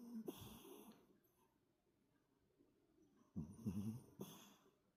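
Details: Toy poodle puppy sleeping soundly after coming in from lively play, snoring heavily: rough, raspy snorting breaths in two bursts separated by a quiet pause.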